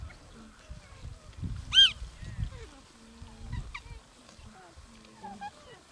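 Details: Gelada baboons in Ethiopia's Simien area, October–November 2015: scattered soft honking calls, with one loud, high, arched yelp near the two-second mark. Low thuds of wind or handling noise run underneath.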